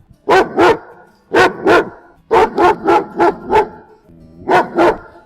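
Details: Guard dog barking in loud, deep, harsh barks, mostly in pairs with short gaps, then a run of five quick barks and a final pair; no other sounds.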